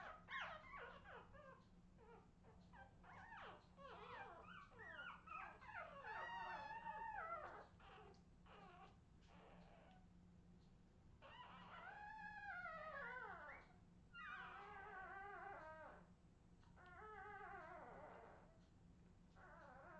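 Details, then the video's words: Several Australian Terrier puppies, recorded in 2018, whining in long arched and wavering whimpers, many overlapping in busy bursts separated by brief pauses, over a faint steady hum. "Redwing Australian terrier puppies"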